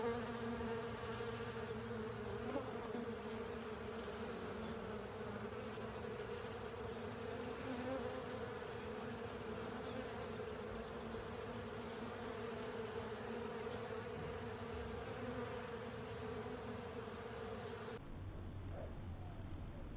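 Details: A crowd of honey bees and fellow insects cleaning out a honey filter, sustained, layered wing drone with even pitch and volume for about eighteen seconds, then a duller, muffled stretch of humming to the end.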